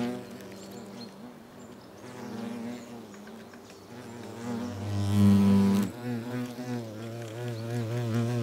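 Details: European hornets at their nest exchanging food mouth to mouth (trophallaxis), South Moravia, Czechia, August 2024: a low, droning harmonic buzz runs throughout, swelling louder near the middle, then a steadier wavering hum.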